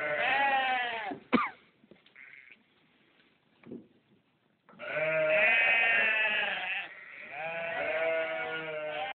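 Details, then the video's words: Loud farm sheep giving long, wavering baas. One bleat opens the recording, then after a quiet stretch with faint thumps comes a sustained, strained bleat lasting about two seconds, then another. "Sheep. Baa..."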